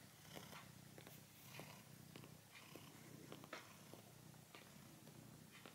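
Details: Red cat named Tiger, who likes kneading plush animals, purrs with an even, deep rumble while working a toy mammoth; faint scratchy taps of paws on plush punctuate the drone.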